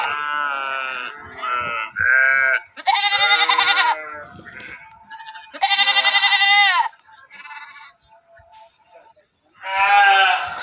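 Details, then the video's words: Sheep bleating in a busy sequence: short, choppy baas at first, then two loud, high, shaky cries, quieter murmuring bleats between them, and a final rising baa. "Sheeps Sound effects"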